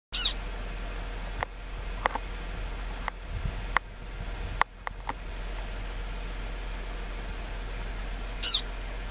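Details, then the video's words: Pika giving two short, very high-pitched squeaks, one at the start and one near the end, each a quick stacked burst; scattered sharp clicks and a steady low hum fill the gap between them. "Pika Squeak"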